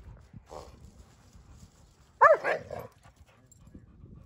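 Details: German Shepherd with other dogs outdoors: one short, sharp bark midway through, a soft earlier bark, and low rumbling background noise.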